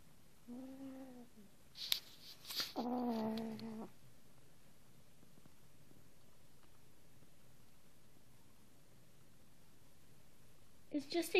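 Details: A pet cat, Angel or Arya, voices the peculiar sound made while eating or being petted, not a growl: two brief moaning harmonic calls early on, a long quiet stretch, then a final call near the end, with faint indoor clatter.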